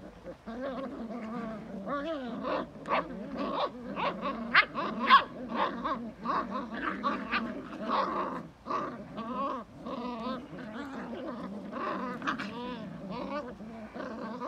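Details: Belgian Malinois vocalizing in quick, rough bursts, growly yelps and grumbles that come roughly twice a second, with warbling whine-like tones between the louder pulses.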